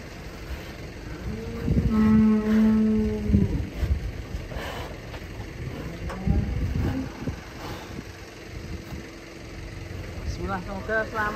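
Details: Huge, heavy cattle being loaded onto a truck give one long, steady, low moo lasting about two seconds. Engine rumble, clattering, and brief voices follow.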